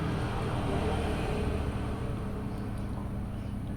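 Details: Steady low engine or vehicle rumble fills the recording, with a faint murmur of speech and no animal sound.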